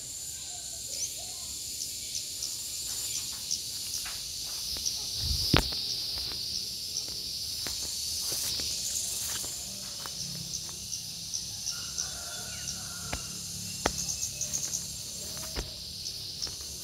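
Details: Gareng pung cicada calling in a steady, high, hissing drone that holds through the whole stretch, with scattered clicks, footsteps and rustling handling noises beneath it.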